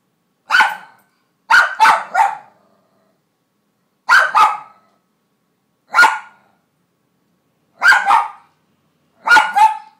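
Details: Ellie, a pet Cairn Terrier, barks while trying to reach a single kibble of her food stuck under her crate: short sharp barks in single, double and triple bursts, about eleven in all, spaced by brief silences, nothing else audible.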